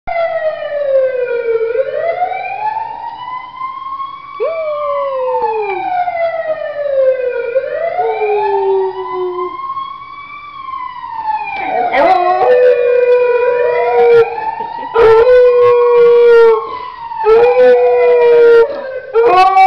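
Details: Otto, a beagle, howls in response to a passing ambulance: a loud wailing siren sweeps up and down throughout, joined by the dog's drawn-out howls that follow its pitch, with several sharper bursts in the second half.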